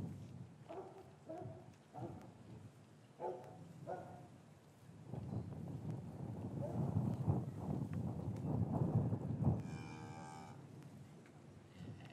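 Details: Cattle in a traditional English farm yard on a winter afternoon, after the calves were separated from their mothers, recorded with a matched pair of Rode M5s. Short tonal calls open, then a long, low lowing swells midway. A brighter, higher call comes near the end.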